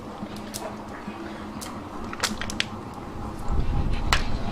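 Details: Indoors, speech and faint music mix with sharp clicking taps and low rumble, with no animal calls heard.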